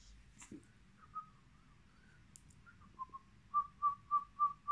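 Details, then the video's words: Brussels Griffon puppies at a kennel: thin, high whimpers, faint and scattered at first, then a run of five short, even squeaks repeated about three times a second. "Puppies of brussels griffon"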